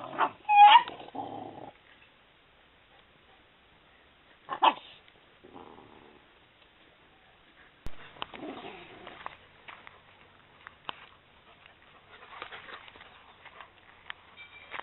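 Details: Maremma Sheepdog puppies, eleven weeks old, playing with their mother in a garden in September 2012: a sharp rising yelp at the start, a second high whine a few seconds later, then scattered soft growls and scuffling noises.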